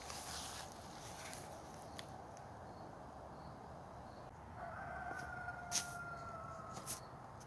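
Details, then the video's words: Wild coyote heard from the forest on a nighttime walk under the September 24 full moon: a single sustained, slightly falling tone after quiet rustling and a few sharp clicks nearby. "Full Moon Coyotes"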